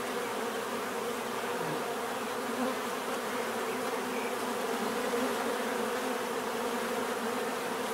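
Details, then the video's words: Many bees buzzing together in a dense, continuous hum. Steady low drones layer over a broad airy hiss, with no breaks in the sound. "bees therapy relaxing natural buzzing sound"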